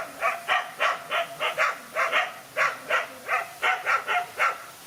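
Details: Dog fighting alone against two male dogs, giving a string of fast, rough barks about three per second, evenly spaced, over soft outdoor noise.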